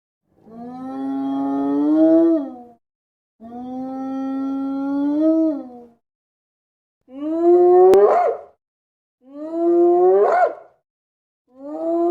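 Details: Hyena. Long, moaning howls from a hyena come in a series, each lasting about two seconds. The first calls hold a steady, nasal pitch, while the later ones climb steeply into rising whoops.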